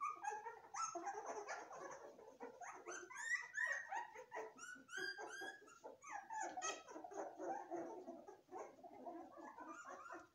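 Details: A litter of golden retriever puppies whimpering almost nonstop, high wavering whines and squeaky yelps overlapping, with bursts of rapid sharp squeals in the middle stretch.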